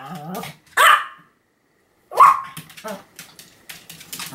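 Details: Pomeranian named Sam barking continuously, recorded 7 October 2015: two sharp, bright yaps about a second and a half apart, separated by a silent gap, with softer, lower murmuring and rustling sounds before the first bark and after the second.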